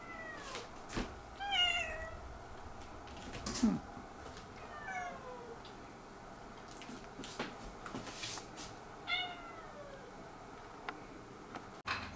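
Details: Domestic cat indoors complaining about something and seeking affection: several short harmonic meows, some rising then falling, scattered over twelve seconds with faint clicks and rustling between calls.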